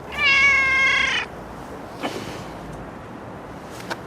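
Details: Stray cat living on the street, an injured neutered male, gives one long, loud, drawn-out meow lasting about a second, steady and richly harmonic, followed by faint clicks and background street hiss.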